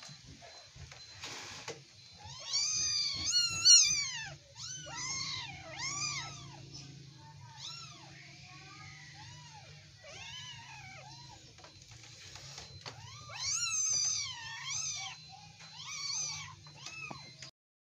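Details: Wrestling Persian kittens crying out in clustered, strained mews with strong overtones, some harsher and squealing, bunched into loud bursts around the start and near the end, separated by quieter stretches of softer calls.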